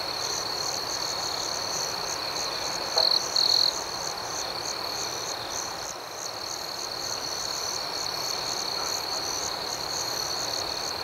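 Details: Crickets at night: a steady high, shrill chorus with pulsing overtones, broken near the three-second mark by two louder, brief chirp bursts from a nearer insect.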